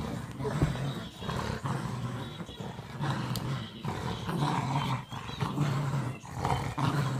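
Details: Boston Terrier and Whippet mix playing tug-of-war, giving continuous low rumbling growls that swell and fade in bursts of about a second, with rough noisy texture throughout.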